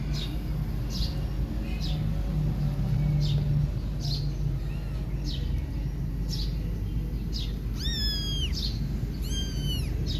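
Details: Domestic cat Silky grooming her kittens hard while the kittens want milk instead; two short, high, arching mews near the end over a steady low rumble, with faint repeated chirps throughout.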